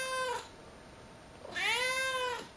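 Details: Female pet cat just woken from a nap indoors gives two long, clear meows, the second rising then falling, separated by a short quiet gap.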